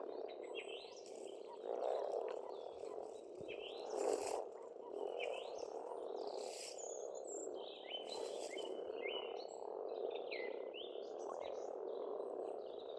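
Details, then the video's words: Spring frog chorus at a pond on an Estonian farmstead: many frogs croak together in a continuous rolling murmur, while several birds sing short whistled and chirping phrases overhead throughout. "пение птиц и лягушек"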